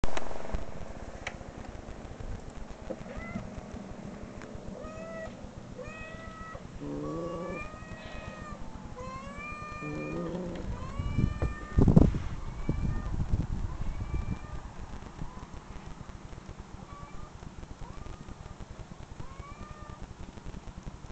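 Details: Domestic cat meows played from online videos while a pet named Sakari growls and searches for the unseen cat; a run of rising-falling, harmonic meows, several overlapping, over low rumbling and a loud burst near twelve seconds.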